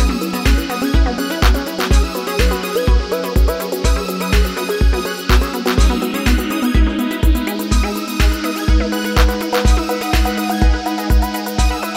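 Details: Electronic dance music with a steady pounding bass beat about twice per second and layered synth melodies; no animal sound.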